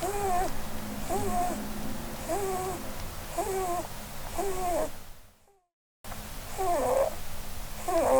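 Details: Blueberry, a sleeping pet Holland Lop doe under a Christmas tree, lets out gentle squeaky snores about once a second over a low indoor hum. The sound cuts to brief silence, then resumes with a louder, rougher snore.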